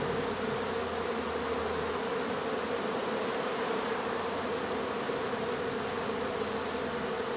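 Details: Dense, continuous droning of a honey bee colony being relocated from an old house under renovation in Donna, Texas. The massed buzz stays level and unbroken throughout, thick and constant with no pauses.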